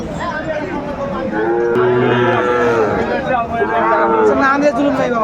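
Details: Sahiwal bull calves aged seven to eight months at Aftabganj livestock market in Dinajpur, Bangladesh: a deep, gently falling moo of about a second rises out of busy crowd chatter, with a fainter lowing later on.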